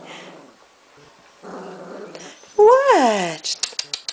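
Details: Golden retriever puppies, three weeks old, from Khloee's litter, kept in a pen with a second level. Low murmuring is followed by one loud, drawn-out yelp that rises and then slides down, then a few quick clicks and taps.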